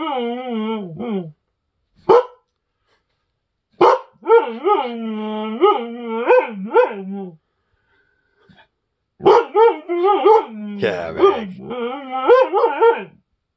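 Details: Kavick, an agouti husky, howling at guests indoors: drawn-out wavering, yodelling howls in bursts with short yips, rising and falling in pitch, broken by pauses of a few seconds.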